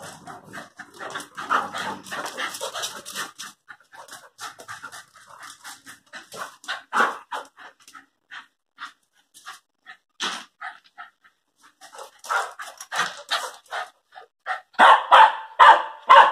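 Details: Airedale Terrier, a pet kept with a Lakeland Terrier, both nearly one year old: rapid breathy panting in quick uneven bursts, about two per second, with louder huffing puffs near the start and again toward the end.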